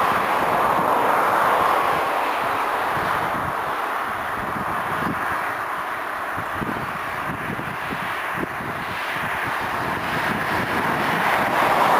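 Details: Steady broadband rumble, like wind or distant traffic, with no clear animal calls.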